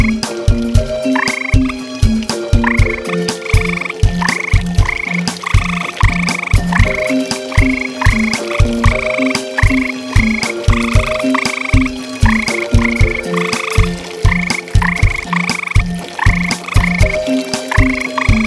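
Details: A pair of tree frogs calling at night around a pond, loud enough to carry a long way; rapid, regular croaks run through the whole stretch beneath background music with sustained tones and repeated higher chimes.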